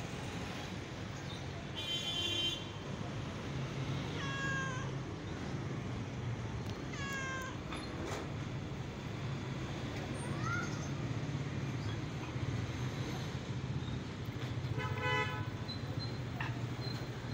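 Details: Stray-born pet cat, living happily with its rescuer, gives a few harmonic meows spaced several seconds apart, some rising, against steady low traffic rumble outdoors.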